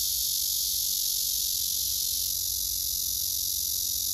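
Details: Cicada chorus of singing males with a second insect responding loudly, heard as an unbroken shrill hiss-like drone at very high pitch, shifting slightly in tone about halfway through.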